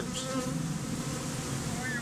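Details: Honey bees gathered as a bee beard, hived out of a statue in an area where nearly all bees are Africanized; a steady low droning hum of many wings, with faint higher tones drifting above.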